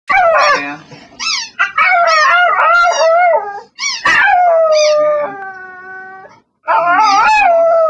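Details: Pet dog begging while singing, with a squeaky toy in play; wavering, yodel-like howls broken into several phrases, some rising and bending, one long steady tone near the end before a final howl.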